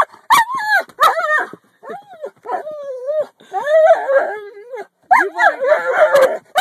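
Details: Cody, the talking dog, answers a person's coaxing with drawn-out howling yowls that rise and fall in pitch like mimicked speech, several bursts in a row, the last ones mixing with a person's voice.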